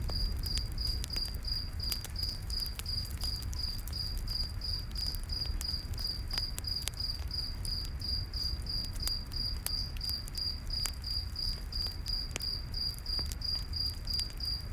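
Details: Cricket song in a forest at night near a camp fire: a fast, steady train of short high chirps, nearly three each second, mixed with crackling wood pops and low rumbling noise.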